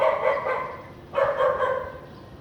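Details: Barking house dog in a clean area of Vientiane, Laos, recorded 15 April 2021 on a sunny afternoon with little clouds; two rough, harmonic barking bouts about a second apart.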